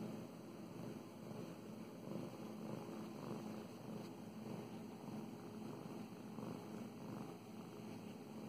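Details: Domestic cat named Mow Mows purrs during petting: continuous low, throbbing rumble swelling and easing in a slow breathing rhythm, with gentle hand-stroking rustles.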